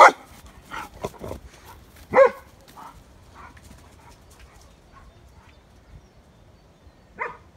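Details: German Shepherds from a pack out in the sunshine: a few sharp, scattered barks, loudest around two seconds in and again near the end, with quiet stretches between and no steady rhythm.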